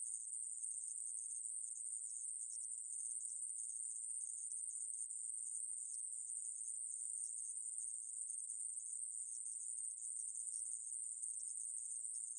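A conehead katydid calls with an unbroken, very high, sizzling buzz. The tone stays even and steady throughout, with no pauses or other sounds.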